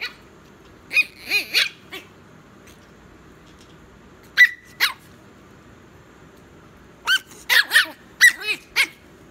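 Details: Chihuahua puppy making sharp high yips and short squeaky whines in small bursts, a pair mid-way, then a rapid cluster of five or six yaps after a pause.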